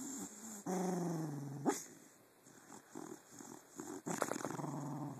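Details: Jake, a dog asleep and filmed with a phone in darkness, lets out a sustained low growl, then a muffled sharp bark, quiet breathing, and a second burst of growling barks.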